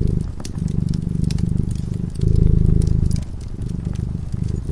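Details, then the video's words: Purring of a cat dozing before a fireplace: a throaty low vibration alternating between stronger and gentler stretches, the loudest lasting about a second, accompanied by frequent crisp crackles of burning wood. "Purring cat"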